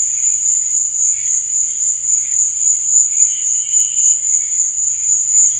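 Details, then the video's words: Night chorus of crickets, a continuous piercing high trill that throbs rhythmically about three to four times a second, with occasional faint lower chirps drifting in and out. "Cricket Sound"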